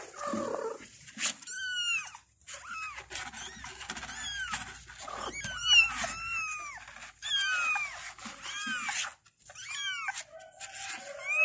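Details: Several kittens meow to call their mother, a steady stream of short arched meows that rise and drop, overlapping voices throughout, with light rustling and a soft low hum at times.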